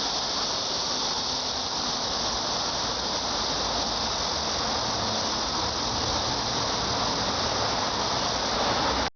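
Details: Steady, high, sizzling cicada drone runs unbroken for several seconds before cutting off abruptly, with a soft low hum beneath.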